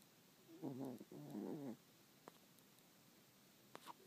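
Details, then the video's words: A sleeping dog snoring: two breaths, each a buzzy, pulsing nasal rumble with wavering tones, then quiet with a few faint clicks. "Snoring Doggie"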